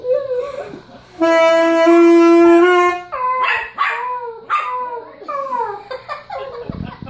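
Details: Pet Yorkshire terrier howling along as a child plays saxophone; a long steady saxophone note dominates the middle, with the dog's wavering, sliding howls rising and falling around it before and after.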